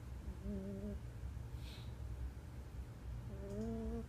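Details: Domestic cat snoring indoors. Two drawn-out nasal tones, each a low hum with whistly overtones, come about three seconds apart. A steady low hum runs beneath them.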